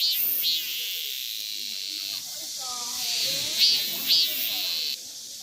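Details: Male cicada at close range in the Daegu Arboretum, South Korea, identified as male because it is singing; a high buzzing drone that pulses and fades, with two sharp accents near the end, while a woman talks quietly.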